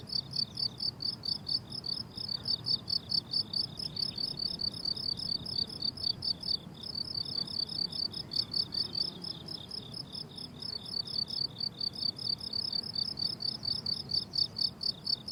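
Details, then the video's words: Crickets chirping on a flowering summer meadow: long sequence of evenly spaced, high pulsed chirps about two per second, briefly pausing near the middle, over faint low ambient noise. "Relaxing Cricket Sounds on a Summer Meadow"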